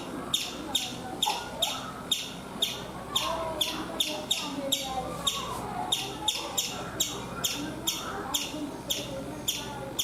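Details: Chipmunk perched on a coconut tree in India chirping steadily, bright clicky chips repeated roughly every half second throughout, with a soft murmur of distant sounds underneath.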